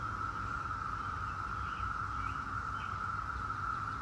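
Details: Seventeen-year cicadas of Brood X form a continuous, level buzzing drone. Faint bird notes come in briefly near the middle.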